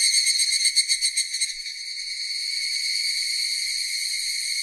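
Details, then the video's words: Cicada song starting as a rapid pulsing, throbbing buzz for about a second and a half, then smoothing into an even, unbroken high-pitched drone. "Cicadas Sound effect"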